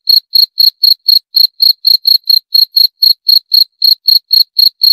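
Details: High, clean cricket chirps repeat about four times a second in a steady pulse, with nothing else audible.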